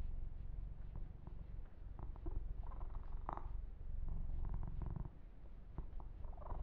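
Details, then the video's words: Yumak, a pet kitten, purring while being massaged indoors: a steady low rumbling purr throughout, with soft scratchy brushes of hands rubbing and grooming the fur on top. "Ear to Ear Purring"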